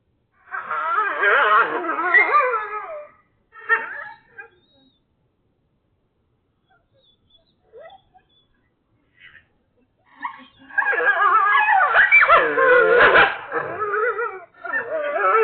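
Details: Agitated coyotes give a dense chorus of wavering yips and howls, then a quiet pause with a few faint calls, before a loud, overlapping yipping chorus resumes.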